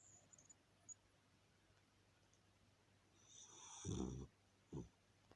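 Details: An English cocker spaniel asleep indoors gives one long rasping snore with a hissy breathy edge, then a shorter snort a second later, over a steady low hum.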